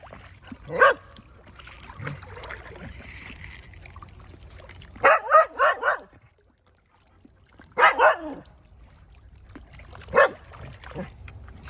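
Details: A village dog barks to summon fish to their food. A lone bark is followed later by a rapid burst of four barks, then a pair, then one more, with low rumbling background between them.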